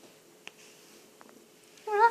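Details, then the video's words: Domestic cat during play, indoors: a single short, tonal trill-like chirp with clear stacked harmonics near the end, following faint clicks and soft rustling. "Asta attacks and makes weird sounds ( cat play )"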